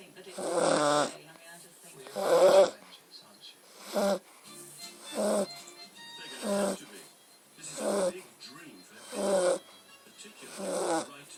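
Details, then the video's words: Beagle snoring while asleep: a regular series of rough, nasal rasping breaths, about eight in eleven seconds, some longer and louder than others, with soft gaps between them. "Beagle snoring"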